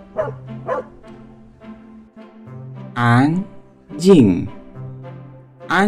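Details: Pet dog barking, presented for toddlers learning animal names: three loud, abrupt barks about a second apart, following softer spoken syllables over light children's music.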